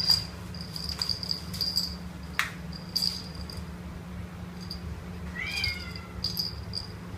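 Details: Male Domestic Short Hair kitten, about two months old, awaiting adoption in Kuala Lumpur: a single short, high, falling meow late on, with a steady high-pitched whine and scattered clicks and knocks throughout.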